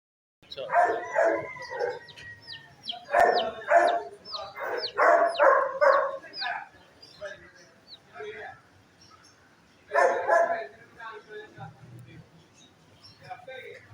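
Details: Dogs barking in repeated harsh bursts, several quick barks around three to six seconds and another burst near ten seconds, with higher squeaky whines and yelps mixed between the barks.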